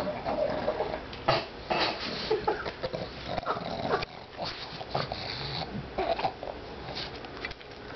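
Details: A female pet pug, Nibbles or Bennie, eats kibble one piece at a time while making silly noises; loud snuffling snorts and grunts with sharp chewing crunches, busiest in the first two seconds.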